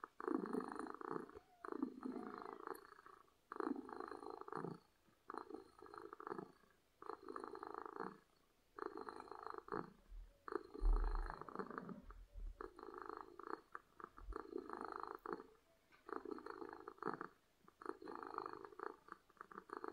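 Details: Happy domestic cat purring loudly, a rhythmic rumbling purr alternating in regular bursts roughly every second, with a low thumping noise midway through.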